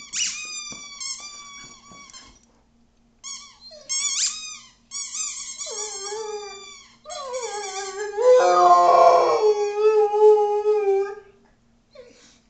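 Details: Nala, a female Rhodesian Ridgeback, howls indoors while playing with her squeaky toy: long wavering howls sliding down and settling into a sustained, loud tone near the end, mixed with sharp high toy squeaks in short bursts.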